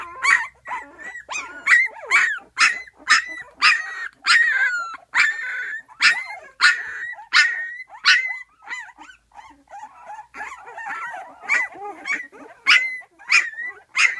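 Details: Twelve-day-old puppies in a whelping box call noisily because their mother is just outside and they want her. Sharp, high yelps and whines repeat steadily about twice a second, with a quieter pause midway.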